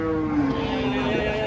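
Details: Giant cattle being unloaded down from a truck; a single harmonic, gently falling low moo lasting over a second, with steady background noise.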